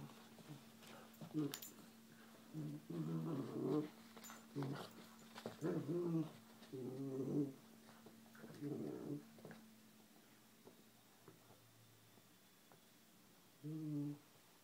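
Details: Pet dog playing with a kitten indoors, giving a series of low rough growling bursts, each about a second long, repeated through the first ten seconds, then a final short growl after a pause; a steady low hum runs underneath.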